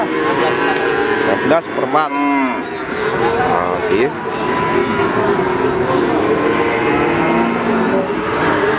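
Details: Mature feeder cattle at the Wagenan market in Pati, Indonesia, on 5 March 2019, lowing in long, steady, deep moos that run through the whole stretch, with crowd chatter and a brief clatter behind.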